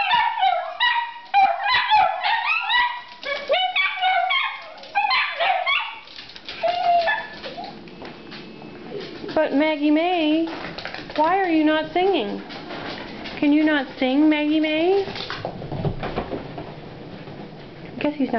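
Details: Four pet Italian Greyhound girls, excited while waiting for their owner to come home from work, howl together in wavering, rising and falling tones. A woman's voice urges them to sing.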